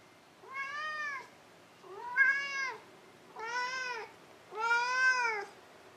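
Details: Cat giving four drawn-out, tonal meows, each about a second long with a slight rise and fall in pitch and rich harmonics, separated by short quiet pauses indoors.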